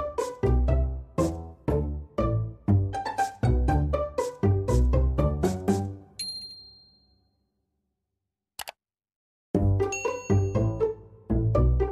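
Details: Bright plucked melody, then a few seconds of silence broken by a click, then the tune resumes.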